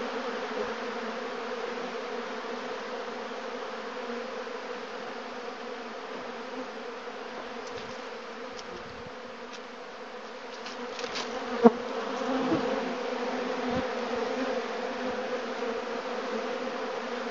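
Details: Honey bees rob the leftover honey from empty, extracted honey boxes set out in the bee yard, making a dense, steady hum of many bees, low and droning with a faint higher whine.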